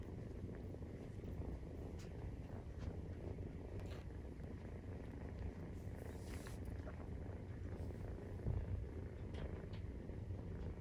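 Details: Continuous deep purr from a Maine Coon cat as it nurses its 43-day-old kitten, even rhythmic rumble with occasional light rustling and small knocks.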